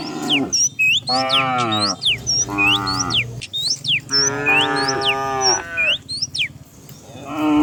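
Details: Dozens of cows herded down a hill every morning in the countryside; several long, rich moos rise and fall, each about a second long, with gaps between, while small birds chirp and whistle sharply throughout.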